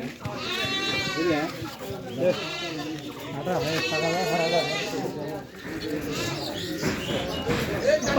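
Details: Goats bleating at a busy Monday goat market in Koijuri, where a young kid is being bought; two long, quavering, wavering bleats rise over constant chatter of people, with further fainter bleats near the end.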